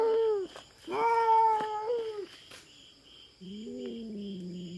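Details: Feral cat intruding on farm cats' territory in the Philippines, facing a black cat: drawn-out wavering yowls, one short and one longer, then a lower moaning growl, with a steady insect drone behind.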